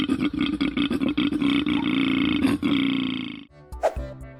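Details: Koala (Phascolarctos cinereus), bellow.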